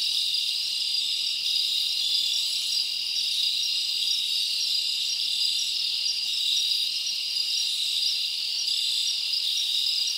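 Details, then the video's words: Night chorus of crickets in summer woodland: an unbroken shrill ringing drone, layered high trills holding steady throughout, with no birds, voices or wind standing out. "Live Crickets Natural Sound"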